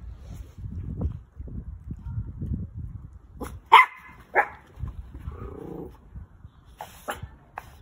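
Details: Orphaned toy poodle puppy enjoying its lunch gives two short, sharp barks close together midway, after low rumbling and chewing-like noises; faint clicks follow toward the end.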